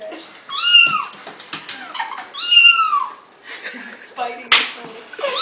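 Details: Pet cat reacting to a phone ringer set off on purpose, giving two drawn-out, arching meows that rise then fall, followed by a shorter cry near the end; faint human voices and household clatter in the background.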